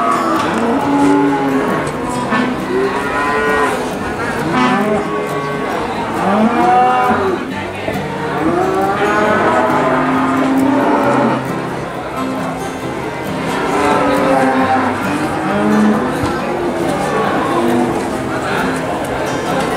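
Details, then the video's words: Cattle at the Boyolali cattle market, several animals mooing in overlapping, drawn-out calls throughout, against a steady background of market bustle. "Suara hewan sapi di pasar"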